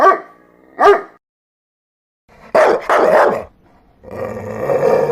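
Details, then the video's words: Dog barks: two short barks, a pause, then a louder double bark followed by a longer, rougher harmonic growl or whine near the end. "Dogs barking sound"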